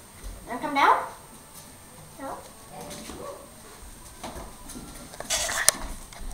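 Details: Border Terrier puppy named Angus barking while fighting a broom and running from it indoors; one sharp high yapping bark at the start, a shorter bark soon after, then brushing and clattering noises with human voices in the room.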